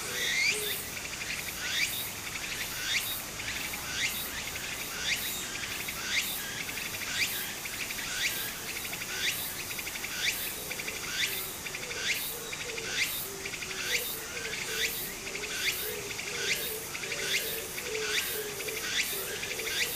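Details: Japanese summer scene by a brook: cicadas repeat sharp rising buzzy strokes at a regular beat of about one per second throughout, above a low murmur of flowing water.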